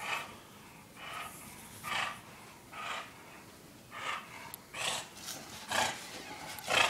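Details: English Bulldog named Porkchop runs about a condo searching for pizza, puffing rhythmic breathy snorts roughly once a second, each a short noisy huff, growing slightly louder toward the end.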